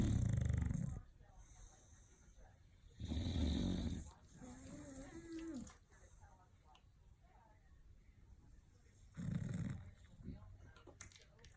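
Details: Snoring bulldogs give three heavy, gravelly snorts spaced several seconds apart, with soft breathing between and a brief faint voice in the quiet stretch.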